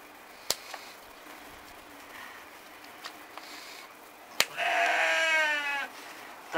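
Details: Romanov sheep held for hoof trimming in spring 2019, Tver Oblast, Russia, stall-kept most of the time: sharp clipper clicks and quiet handling noise, then one loud, quavering, vibrato bleat lasting over a second.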